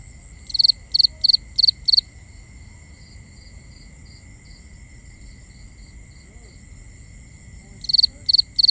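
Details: Nighttime crickets: five quick high chirps, then nearly six seconds of only a soft steady whine and low murmur, before another burst of three triple-pulsed chirps begins.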